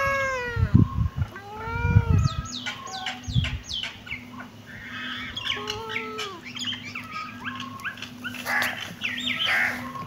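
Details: Kittens meowing in overlapping bursts: several thin, arched, harmonic-rich meows rise and fall, some drawn out and others short and clipped, with dull thumps early on and a steady low hum underneath.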